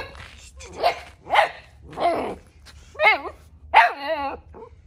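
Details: Central Asian Shepherd puppies, Neptune and Nyx, out in a new area for the first time on a cold 14°F day: three rough barks, then two wavering, whining yelps with a sliding pitch, all over a low background hum.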